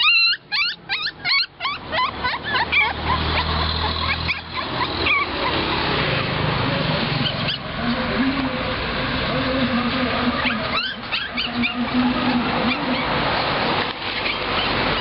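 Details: Young puppies waiting to be bought at a roadside dog shop in Nakhon Pathom, Thailand, give a quick burst of shrill, squeaky yelps and whines early on, then traffic hum and voices take over, with a few more thin whines later.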